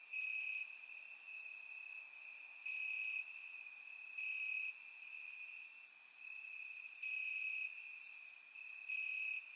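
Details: Warm summer night in Bulgaria with crickets chirping in the grass: an unbroken high-pitched trill, punctuated by louder segments about every two seconds and faint overlapping callers, captured on a surround microphone.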